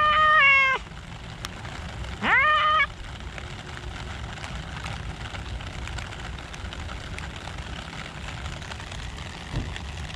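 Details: Park cats in the rain, one calling with two long tonal meows about two seconds apart, rising then leveling off and dropping at the end, followed by continuous patter of rain.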